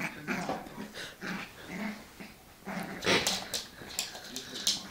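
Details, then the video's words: Two dogs at play, a West Highland White Terrier and a Labrador, giving rough growls and snarling yaps in repeated bursts, a loud scuffle near the third second, with human voices underneath. "play West highland white terrier with labrador"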